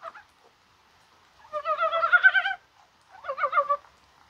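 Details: Brown frogs of the mountains call in rain on a mild 21 January day, maybe during egg-laying. A long burst of rattling, pulsed croaks is followed after a pause by a shorter one.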